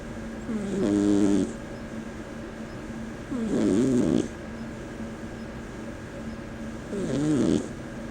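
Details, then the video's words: Tiny Persian cat asleep and snoring, rough buzzing inhalations about every three seconds, each lasting around a second, with a steady low hum between breaths. "Atlantis the Snoring Cat"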